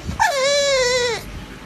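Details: Pug dog crying while begging for food, a single drawn-out whine about a second long, sliding down then holding a steady tone before fading, with a woman speaking Vietnamese before and after.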